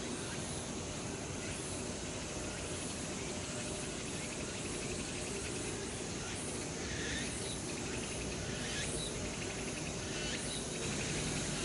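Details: Cicada chorus in late summer at Changgyeonggung Palace, Seoul, South Korea. Loud, unbroken buzzing is cut by sharp, repeated high bursts that come about every second or two. It swells a little near the end, over a low background rumble.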